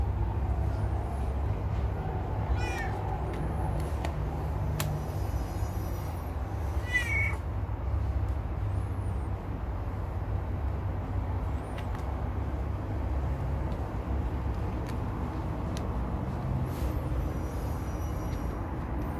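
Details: Pet cat asking to have its belly rubbed and scratched. Two short, faint meows near the start, followed by a long stretch with only a constant low droning background.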